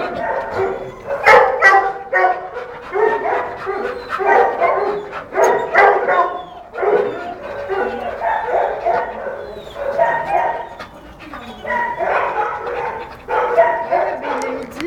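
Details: American Staffordshire Terrier female in heat giving a long run of strained whining barks and yips, pitch wavering up and down in repeated bursts, with brief human voices mixed in.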